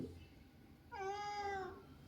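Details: House cat at home grumbling as its owner heads off to the office: one drawn-out, steady, nasal meow lasting under a second in a quiet room.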